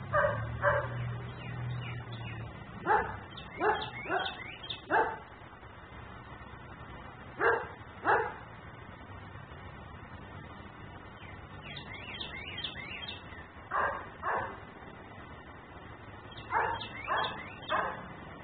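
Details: Dog left outside barking persistently, a neighbourhood nuisance: repeated short barks in loose clusters of two to four, spaced through the recording, over a faint low rumble.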